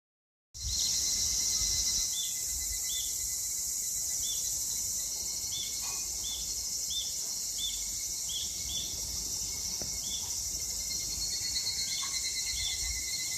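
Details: Evening cicadas (Tanna japonensis) sing on a summer evening in Japan in 2021: a high, shimmering insect chorus of rapid, repeated pulsing notes.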